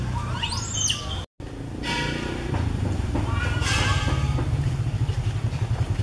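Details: Young monkey calling to its mother in a tree, recorded on a Canon SX50HS: one long arching shriek that climbs steeply then falls, a brief gap, then softer wavering squeals, with a low engine-like drone throughout.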